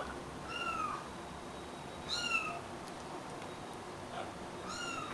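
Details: Rescued stray kittens about three weeks old, indoors in Greece and fed formula milk: three high, thin, falling mews spaced about two seconds apart over a low background hiss.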